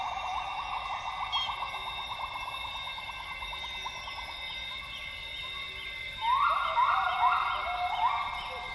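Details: Dawn chorus of northern grey gibbons in Borneo's rainforest at Tawau Hills Park, Sabah: rapid pulsing whoops for six seconds, then louder bubbly notes burst in, over ringing insects and bird calls.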